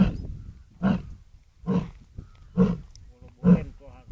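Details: Lion recorded live at Sasan Gir: a steady sequence of five low, throaty grunts, one almost every second, each short and booming, with quiet gaps between.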